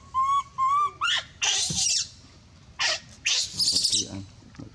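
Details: A monkey gives two clear whistled notes, then bursts into loud, harsh, high screams calling for help, apparently wanting another monkey to leave a baby alone.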